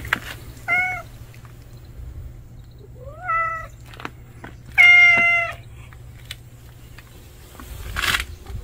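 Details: Newly appeared male street cat, never seen before, meows repeatedly: a short call, a rising meow, then a longer steady one, each separated by pauses, with a faint rustle near the end.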